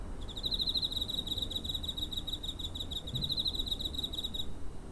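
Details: Near-home recording of a cricket, 7 September 2023, TASCAM DR-05; a continuous rapid high pulsed trill lasting over four seconds, slightly wavering in loudness, above faint low background hum.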